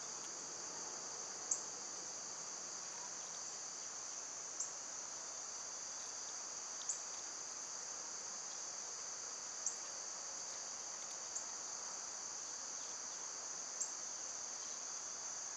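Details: Cicadas singing in summer during a relatively quiet spell. An unwavering, high, sizzling drone lasts the whole time. Short sharp ticks come every two to three seconds.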